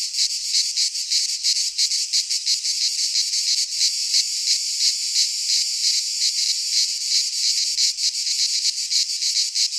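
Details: Chorus of cicadas in a pine forest in Greece at midsummer, a loud shrill unbroken drone pulsing quickly, the high hiss holding level from start to finish with nothing else heard.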